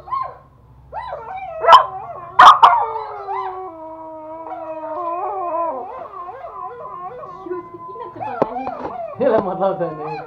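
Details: Two toy Pomeranians, a male and a female about one year old, in Kathmandu, Nepal, howl in long, wavering tones along with music playing sustained notes.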